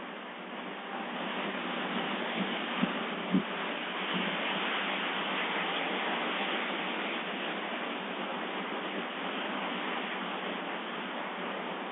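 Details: Steady broadband hiss fills the recording, broken by two brief soft knocks early on; no animal voice is heard.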